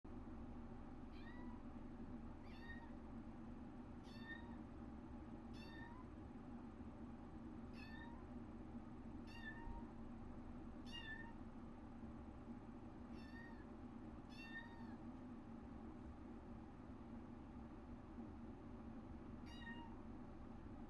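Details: Lonely cry from an 8-week-old foster kitten, one of a litter trapped on a farm. Thin, high meows drop slightly at the end and repeat every one to two seconds, about thirteen in all, over a steady low indoor hum.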